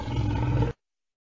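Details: A lion gives a short, deep, throaty roar lasting under a second, a steady low rumble that cuts off abruptly into silence.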